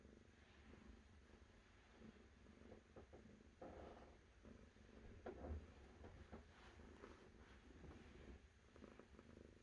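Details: Domestic cat purring, a deep pulsing rumble that comes in breath-length waves, with some soft rustling clicks partway through against a low room hum.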